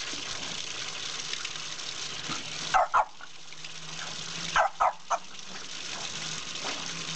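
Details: Margo, a French Bulldog foster dog, plays with a water spout she loves, happier the wetter she gets; five short, sharp barks come in two quick bursts, two then three, over a steady gush of running water.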